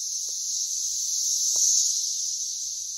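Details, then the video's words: Brood X periodical cicadas swarming around a tree, crowding its base and the ground below, making a dense, steady, high-pitched screeching chorus with no breaks, and faint clicks under it. "loud tree full of cicadas"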